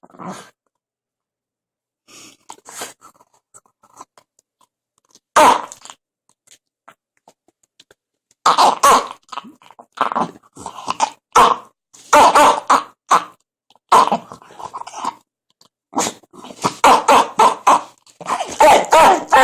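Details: Jack Russell Terrier Biscotti making odd sounds: faint scattered snuffles at the start, then rapid runs of rough cough-like snorts and huffs that grow denser and more frequent toward the end.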